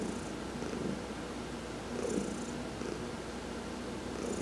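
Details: Heidi the cat being massaged in the sun in November 2020, giving a low, even purr with a gentle swell around the middle and a faint breathy edge.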